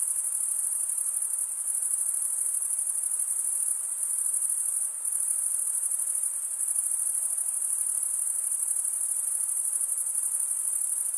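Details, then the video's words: Crickets chirp by stridulation, males scraping wing against toothed wing vein; here a constant piercing high trill continues unbroken with slight momentary dips in volume, a soft hiss in the lower background. "Most relaxing cricket sound for 8 hours"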